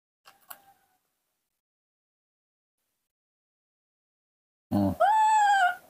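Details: Baby monkey missing its mother, kept and hand-reared at home: after a soft click, a low thud gives way to one long, clear, slightly rising then level harmonic wail lasting nearly a second, with quiet indoor surroundings.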